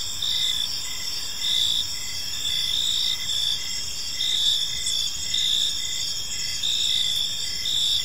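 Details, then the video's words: Park crickets at evening giving a continuous high-pitched chorus, rhythmic chirps close to once per second stacked over a steady ringing trill, calm and unbroken. "Cricket Sounds in a Peaceful Park"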